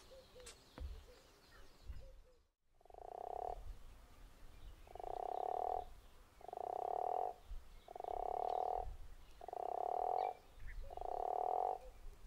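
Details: A guttural toad at Zeekoevlei calls in a steady series: six rasping, snore-like croaks, each close to a second long and repeated about every one and a half seconds, after a brief gap at the start.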